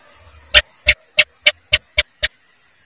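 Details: Cicak, a house gecko, calling with seven dry, percussive chirps in quick succession, each a short broadband click, above a constant thin electrical hiss.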